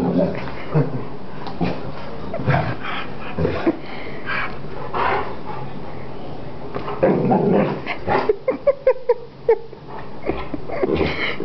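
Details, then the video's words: Greater Swiss Mountain Dog on the attack, with bursts of barks and yips, whimpering sounds, and a rapid run of short pulsed snaps toward the end. "GSMD - Greater Swiss Mountain Dog Attack"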